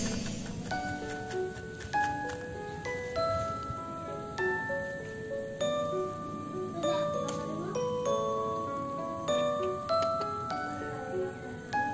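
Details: Bright glockenspiel-like mallet music plays gentle chiming notes, with no animal voice heard.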